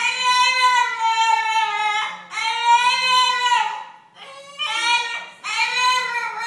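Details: A French Bulldog left alone gives long, wavering, almost sung howls, each held for about two seconds, with TV talk possibly in the background; French Bulldog.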